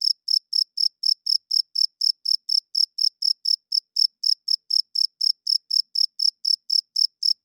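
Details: Chirping cricket after dark, the male signalling to females and claiming territory with its wings. Crisp, high-pitched chirps follow one another evenly at about three per second, isolated against silence.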